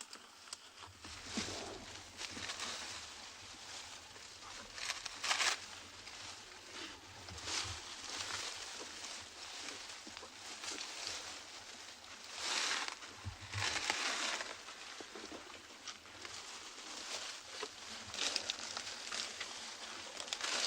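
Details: An African elephant rummages in foliage nearby on a morning game drive in the Sabi Sand Game Reserve, South Africa, on 17 May 2020, making bursts of crisp, crackling rustles as leaves are stripped from branches.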